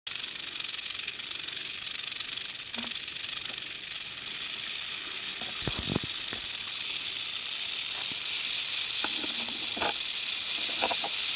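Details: Western diamondback rattlesnake ready to strike, its rattle a steady, dense, hissing buzz held high in pitch for the whole stretch, with a few faint low knocks in the background.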